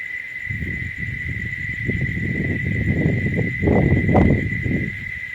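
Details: In summer heat at midday, a male cicada, hidden high in tree branches, sings a steady, high, unbroken tone over low rumbling and handling noise. Such song can carry over a kilometre and stops if the insect notices people.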